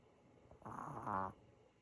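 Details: Five-year-old Maltese dog snoring while asleep indoors, tired after being chased around by another pet; a single soft, rasping inhaled snore lasting about half a second in a quiet room.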